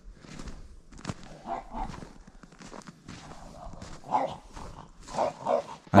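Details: Oleg, an old French Bulldog of nine, out on a walk at an unfamiliar place, gives short throaty grunting barks, one near the fourth second and a pair close together near the end, between quieter snuffles.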